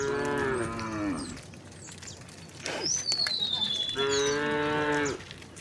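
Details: Tame cows heading out to a vast field in gentle morning sunlight give two drawn-out, rich moos about three seconds apart, separated by a high descending bird whistle and light rustling.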